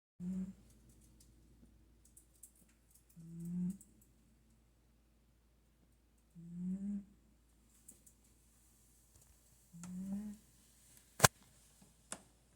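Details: Domestic cat snoring at home: short low rumbling snores, each under a second, recurring about every three seconds, with faint clicks and a sharp tap near the end.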